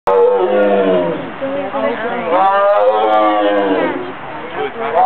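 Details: A tiger at Lincoln Park Zoo gives a loud, rough, drawn-out roar that rises and falls in pitch.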